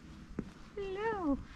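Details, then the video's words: Hungry stray cat meowing for food beside a seaside road in Istanbul, one of two, a tuxedo and a tabby: a single drawn-out harmonic meow rising then falling over about half a second, after a short knock. "Two hungry cats meowing for food"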